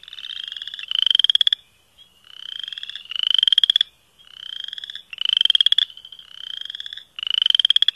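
Chorus frogs give rising, pulsed trills, like a thumb run along comb teeth, repeated every two seconds.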